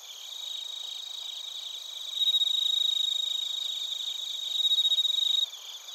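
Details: Bell crickets and other crickets chirping in Narita, Chiba Prefecture, Japan, recorded on a TASCAM Portacapture X8. A dense, shrill, high pulsing chorus; a louder, steady ringing trill rises from about two seconds and cuts off near five and a half.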